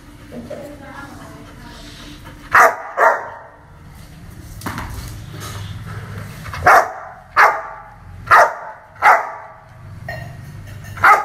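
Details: Dog barking aggressively: sharp single barks, a pair near the start then a run of five more at roughly one-second intervals, over a low steady hum.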